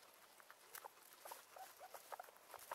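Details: Guinea pigs kept together with their dog, giving brief soft squeaks and short tonal chirps scattered through steady rustling and patter of movement.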